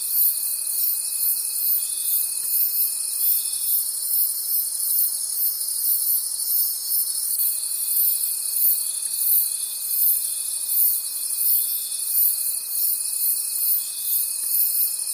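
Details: Night chorus of crickets in a forest, a bright continuous trilling wash with rapid shimmering pulses, while a thin steady whine cuts out for a few seconds midway and then returns.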